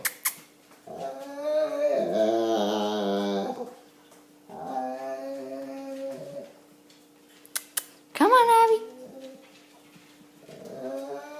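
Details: Pet dog indoors making funny drawn-out groaning, whining noises in long harmonic bursts around two and five seconds, then a sharp rising yelp near eight seconds and another moan at the end, with a steady background hum.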